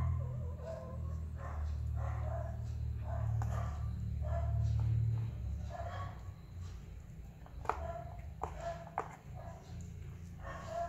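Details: Persian kitten calling because it is hungry: repeated short, bright mews roughly every half second to second, a few sharper clicks and handling sounds, over a low droning background.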